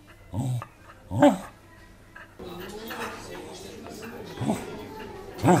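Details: Welsh Corgi indoors, recorded 5 April 2014 on a compact camera, 'talking' with short moaning yelps whose tones rise and fall. Two bursts come near the start and one at the end, with a steady low room hum in between.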